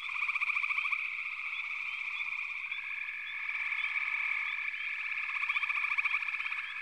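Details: Backwater frog chorus: steady high trilling from many callers, rattling pulsed croaks opening and closing the stretch, a lower sliding tone midway, and scattered brief chirps.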